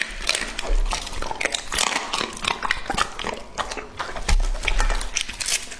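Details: Lucky, a two-and-a-half-year-old male English-type Labrador Retriever weighing over 70 jin, eats indoors in a close-miked ASMR feeding session; loud wet crunching and chomping bites follow in quick irregular bursts, with thumping low knocks.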